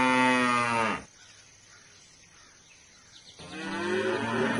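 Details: Mooing cow: a loud moo cut short at the start, a quiet pause of about two seconds, then a second strong, rising, drawn-out moo.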